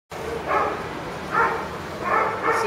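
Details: Pug puppies, a pair of sisters, give four short, breathy yelps, each a brief rough burst, spaced roughly half a second to a second apart in a quiet room.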